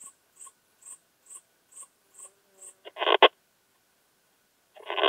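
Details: Slender bright bush-cricket heard through a Pettersson D 100 ultrasound detector at Hajnzgraben, Austria, 19 August 2021: soft high ticks repeating about twice a second, then a loud double scratchy burst and another rasping burst near the end.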